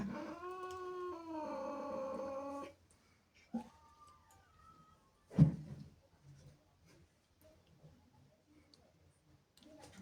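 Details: Jealous, angry female cat indoors, reacting to playful kittens in the house: a drawn-out harmonic yowl for under three seconds, then a short higher cry, a thump and quiet room noise.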